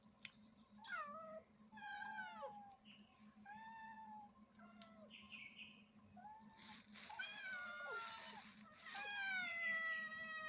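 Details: A cat and her kittens calling loudly indoors: a string of short, falling high-pitched mews, then a louder, noisier cluster of overlapping cries near the end over a steady background hum.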